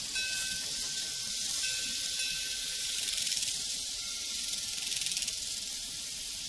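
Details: Crickets on a prairie keep up a dense, high-pitched buzzing chorus with rapid pulsing. Sustained ringing from a cowbell carries across most of the stretch, with a few brief louder bursts midway.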